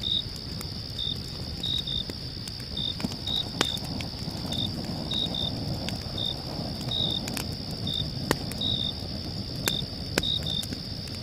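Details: Crickets at night with a crackling fire: steady stream of short shrill chirps, some paired, about seventeen over eleven seconds, a level high hum throughout, frequent sharp fire crackles and a rumbling low background.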